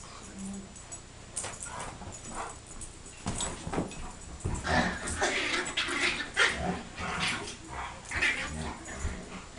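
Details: A big dog and a little dog playing together, giving short whimpering yips and rough growly bursts that come in quick uneven clusters, with people talking nearby.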